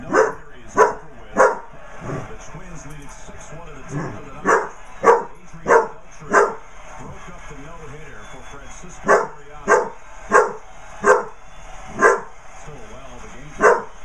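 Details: A Basset Hound puppy confronting a basset hound birthday card barks in bursts of three to four sharp yaps, separated by short pauses, roughly nineteen barks in all, with low background hum.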